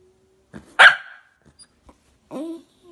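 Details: One of the Jack Russell Terriers Luna and Lino gives a single sharp, forceful bark, then faint clicks and a short nasal whine that bends downward, in an otherwise quiet setting.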